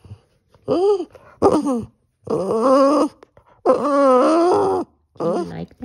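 A Boston Terrier gives a run of drawn-out, arching howls, each rising then falling in pitch, with short pauses between. A person's singing voice is heard alongside.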